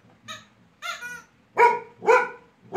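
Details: Angry female Labrador Retriever, annoyed by a small toy, voices a quick run of loud, tonal barks and whiny yelps, about two per second, rising in force toward the end in a small room.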